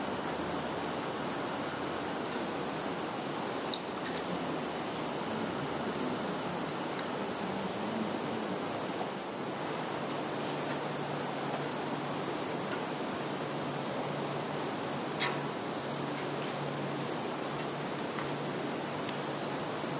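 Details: Field insects in Russia's Kaluga region, Zhukovsky district, 11 September 2019, captured by phone: continuous high-pitched trilling drone with no pauses, a thin upper hiss, and a low steady hum underneath.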